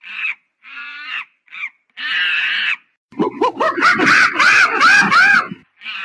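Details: A monkey gives several short, high, harmonic squeals, then breaks into a harsh, rapidly pulsed chatter with wavering whistled overtones, ending on another brief squeal.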